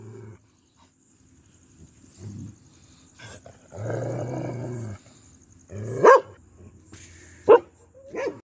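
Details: Pomeranian showing aggression, mostly quiet with a low rumbling growl midway, followed by two sharp, loud barks spaced about a second and a half apart and a softer final yap.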